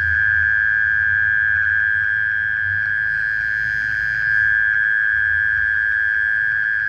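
A night insect gives a steady, unbroken high trill that holds one pitch throughout.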